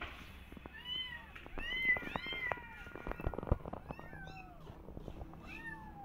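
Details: Persian cat and adopted kittens walking in a garden and carefully watching rabbits; a dense run of loud, overlapping rising-and-falling meows, several voices at once, with soft thumps and rustles beneath.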